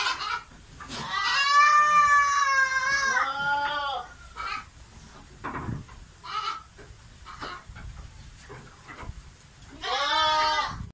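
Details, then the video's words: Goat in heat, wanting to mate, gives a long, loud, quavering bleat lasting about three seconds that falls at its end. Short noises follow, then a second wavering bleat near the end. "ciri ciri kambing birahi/minta kawin"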